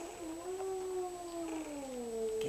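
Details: Puppy from a litter crying with a sustained, tonal whine that holds steady, wavers slightly and then slides gently lower over about two and a half seconds. The sound is indoors, with faint household background.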